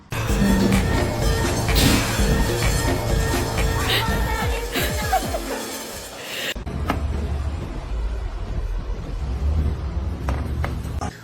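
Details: Music plays throughout, mixed with some speech and low vehicle-like rumbling. No animal voice stands out.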